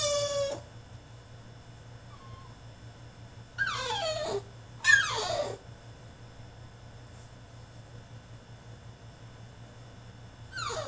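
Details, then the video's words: French Bulldog throwing a tantrum inside his cage lets out brief sharp yelping whines that drop steeply in pitch, in bursts separated by quiet stretches, with a constant low hum. "FRENCH BULLDOG THROWS TANTRUM IN HIS CAGE!!"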